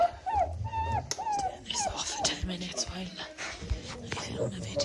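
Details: German Shorthaired Pointer puppies whining indoors, a string of short arched whimpers repeated quickly at the start, then a person talks over continuing softer whines and rustling.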